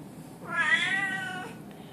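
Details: A male blue Oriental Shorthair cat talking to his cat sitter gives a single drawn-out, nasal meow that rises slightly and then trails away, seemingly asking for something, perhaps a treat or to go out.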